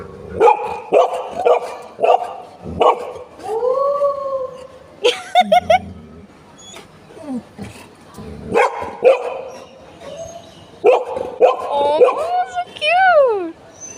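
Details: Golden Retriever, one of the pet dogs José and Butter, vocalising while meeting a new friend; clipped barks, then drawn-out rising and falling howl-like yowls and a sliding whine, with a person's voice talking in between.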